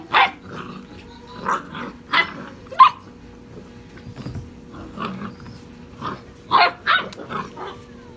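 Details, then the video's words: Puppies six and a half weeks old romp wildly, giving scattered high yips and short barks with quiet gaps between bursts, a few tiny squeaks, and a steady low electrical hum throughout. "Puppies Gone Wild"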